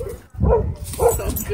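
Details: Dog at a dog park, where a small white dog bit a German Shepherd. Two short, muffled barks about half a second apart, mixed with a person speaking and outdoor background noise.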